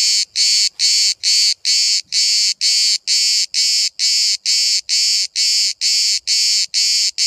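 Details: At Bodrum in Turkey, one cicada filmed at very close range gives loud, even rasping pulses at a quick, steady pace of just over two per second, with slight low handling noise.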